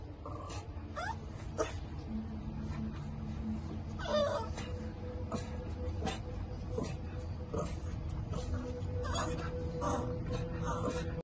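A French Bulldog gives soft, thin whimpers and whines over a low rumbling background.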